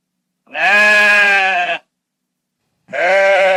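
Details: Sheep bleating on a farm pasture: two long, loud, harmonic-rich bleats with a wavering tone, the first lasting over a second, separated by silence.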